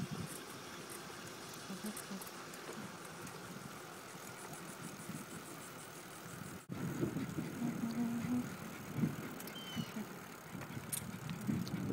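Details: Steady vehicle rumble and road noise with wind buffeting, a sharp thump midway, then louder rattling and low engine hum; no clear barking stands out.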